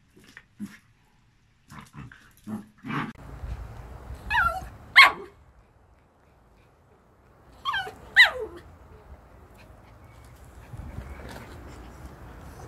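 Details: Dogs, a Jack Russell and a Malinois, put together and meeting; scattered sharp barks and short yelps, some with falling pitch, in loose bursts with quiet gaps, plus low rumbling background noise.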